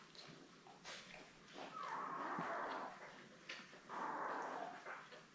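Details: Newborn Labrador Retriever puppies, seven of them born May 24, 2021, with their mother Belle, on a live puppy cam: two drawn-out, wavering mid-pitched whines, each lasting over a second, over a background of soft rustling and shuffling.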